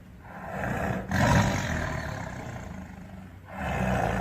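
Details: Tiger roaring: a long, deep, rasping roar with strong low rumble, a louder surge after the first second, then a fresh roar rising near the end.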